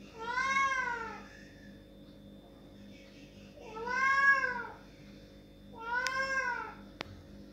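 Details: Crying loudly to be let through a door, a cat gives three drawn-out, arching meows about two and a half seconds apart, followed by a sharp click near the end.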